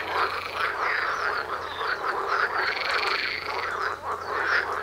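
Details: Many frogs croak together in a natural setting just outside a house door, a dense steady din of rapid pulsed calls and rattling trills overlapping without pause, loudness staying even across the whole stretch.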